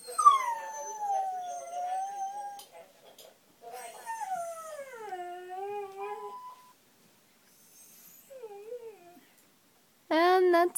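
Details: Domestic dog upset by certain sounds, giving drawn-out wavering howls that dip and rise, followed by short whimpering whines and a sudden loud high whine at the end.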